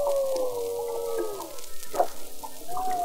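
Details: Humpback whales, unseen but heard from afar near a bay mouth off Mexico, give long, tonal, slowly falling, birdlike melodic moans in rough seas; a rhythmic beating is waves hitting the boat.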